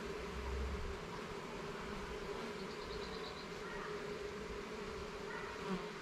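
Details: Honey bees in a garden hive during an inspection of its levels and frames, giving a steady droning hum with a faint high buzzing overtone and a brief low thump at the start.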